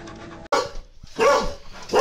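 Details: A dog in a funny pet compilation gives three short barks, spaced by brief quiet gaps, each bark a rough burst with a bright tonal core.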